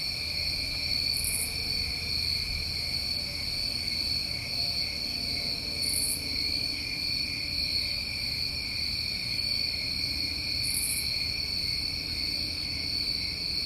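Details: Summer crickets in New England: a dense, continuous high-pitched trilling chorus holding two steady tones, with a short, very high buzzy burst returning about every five seconds.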